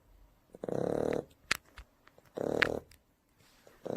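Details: Three-month-old Shar Pei puppy snoring while asleep: rough, buzzy rattling snores about every two seconds, each lasting around half a second, with faint clicks and soft breaths between.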